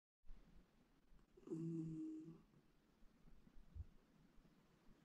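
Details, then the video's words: West Highland White Terrier snoring indoors, one long, rough, droning snore lasting about half a second with a low buzzing tone, then quiet breathing and a soft thump in a small room. "Westie dog snoring"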